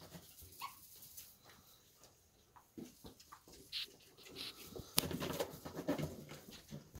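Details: Thirty-day-old puppies that are already eating dry food give short, irregular whimpers and squeaks, several in quick succession and louder toward the end, over soft indoor rustling and one sharp click.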